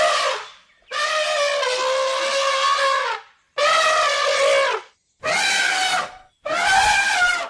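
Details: Savanna elephant gives a series of five harsh, brassy trumpet calls. One near the start is drawn out for over two seconds, and the later ones come in shorter bursts with brief pauses between them.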